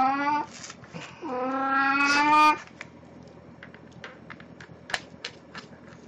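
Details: Pet cat Plan, dressed as Snow White for an encore of her birthday-party costume, indoors on 1 April 2017, gives two loud, long, harmonic meows, the second longer and flat, followed by quiet clicks and handling noise.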